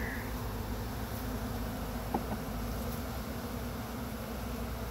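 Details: Honey bee swarm in Chattanooga being brushed off a pine tree into a box with frames: a steady, low droning hum fills the recording with a dense buzzing texture, and a couple of faint clicks come near the middle.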